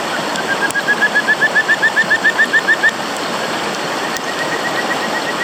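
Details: Kajika frog giving its advertisement call: a quick, even series of about fifteen short, rising, whistled notes lasting roughly two seconds, set against a steady broad rushing background.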